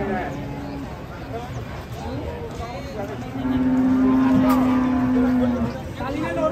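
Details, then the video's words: Agitated cattle being unloaded from a truck in Indonesia; a long steady low moo held for about two seconds, with excited men talking, engine noise and crowd background throughout. "SAPI NGAMUK RAK ATURAN TURUN DARI TRUK"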